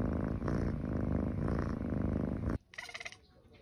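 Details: A domestic cat purring close up: a loud, continuous low rumbling throb that lasts about two and a half seconds, then stops abruptly, leaving near quiet with a faint, brief higher sound.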